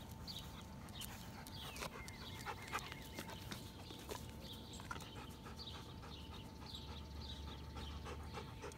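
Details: German Shepherd dog panting in quick, breathy huffs that repeat steadily throughout, over a low rumbling background hum, with faint high chirps from small birds scattered across.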